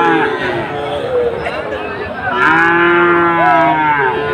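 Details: Sahiwal bulls at the Ambari cattle market on Monday 24 July, where Chattogram traders are buying. Several long, harmonic moos overlap, some rising and bending, over a steady murmur of crowd noise.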